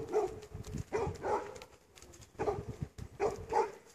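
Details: Axel the dog giving short, hoarse barks in pairs, roughly every second, over a rumbling low background.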